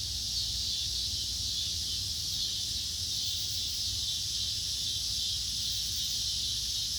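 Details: A steady, high-pitched insect chorus at dusk hisses without pause, a dense shimmering buzz with no breaks; insects.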